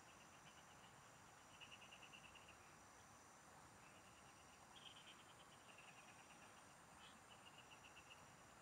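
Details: A chorus of field frogs heard during a fishing outing: brief trains of quick pulsed notes come from a few callers in turn, separated by short gaps, while a thin continuous insect whine stays high above.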